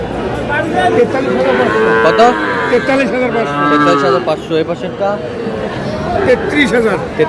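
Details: Young bulls and heifer calves for sale to a Comilla farmer at a cattle market on 21 July. Curving, tonal lowing sounds twice in the middle of the clip, mixed with loud human talk and market chatter.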